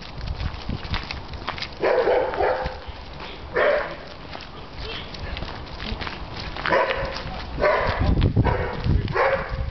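A Rottweiler gives short, deep barks and vocal bursts amid people talking in Norwegian.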